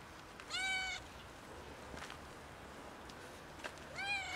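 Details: A kitten and two cats asking loudly for food. Two strong, tonal meows bend upward then fall, one early and one at the end, separated by soft clicks and a low background hiss.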